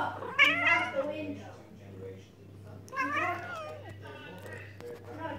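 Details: Pet cat giving bleating, goat-like meows: a strong harmonic wavering call near the start, a second drawn-out quavering call around three seconds, then softer short calls, over a steady low hum and faint human voice.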